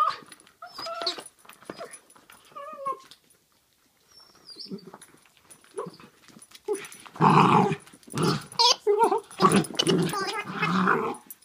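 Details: A basenji mix dog playing with a Giggle ball toy mixes short whimpers and yelps with deep, throaty growls that grow louder toward the end, while the ball gives brief tonal squeaks between his calls.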